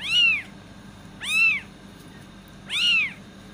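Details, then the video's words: Kitten meowing, said to attract cats: three high, arched meows about 1.3 seconds apart, each short and rising then falling, over a quiet indoor background. "Cat Voice | kitten meowing to attract cats"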